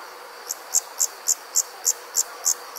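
A night insect calls with bright, high-pitched chirps in a steady, even rhythm of roughly three per second. A soft, continuous hiss of background insects and night air runs underneath.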